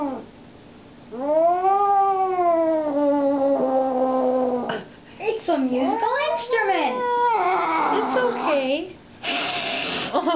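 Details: Talkative pet cat named Edward crying indoors with several long wavering meows, some rising then falling, broken by short pauses, while a person speaks softly to him in between.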